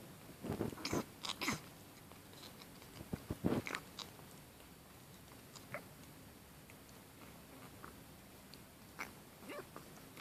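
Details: A kitten gives short, rough, pig-like snorts in quick bursts, then a few softer snuffles; its snorting is linked with water.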